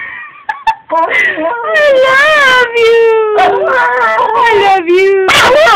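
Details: An excited Wire Fox Terrier greeting its returning owner howls in long, wavering, sing-song tones that slide up and down like speech, as if "singing" I love you.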